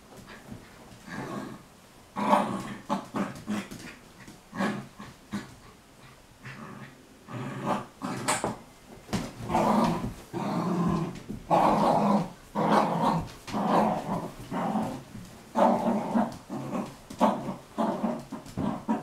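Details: Sealyham Terrier fighting two shepherd dogs, a mother and daughter: dense bursts of snarling growls about once a second, with short yelps and scuffling in between and no pause in the scrap.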